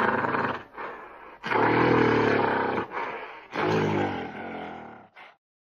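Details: Gorilla giving deep, rough roars: a short opening bellow, then two long, loud, harmonic roaring bursts with brief breaths between, the middle one the longest, ending in a short grunt before silence.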